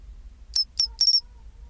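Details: Pine cricket singing its chinchirorin song at 24°C: two short, bright, high chirps followed by a longer trilled note, all within about a second, over a quiet low hum.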